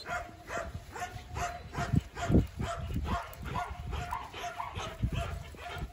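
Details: Thor, a Belgian Malinois, in an outdoor obedience and control training session, giving a steady run of rapid barks about twice a second, partly masked by heavy low rumbling wind or handling noise and Portuguese commands.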